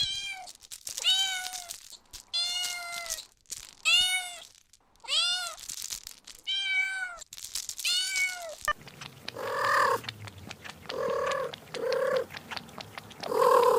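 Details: Kitten meowing while chasing butterflies on grass: a quick run of six or seven clear, ringing meows with rich overtones, each bending up and down; the last few seconds switch to harsher, gobbling bursts.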